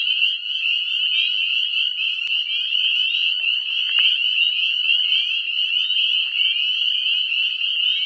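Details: Northern spring peepers calling en masse in spring, heralding the breeding season in a tangle of brambles, evergreens and maples; shrill upslurred peeps blend into a deafening roar, with a brief click and faint knock midway.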